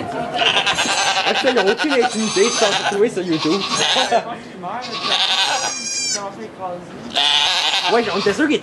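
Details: Goat bleating during the birth of two kids in a sugar shack in Quebec, Canada, recorded on an iPod Touch 4G; loud, wavering bleats come in bursts of about a second, overlapping steady French conversation.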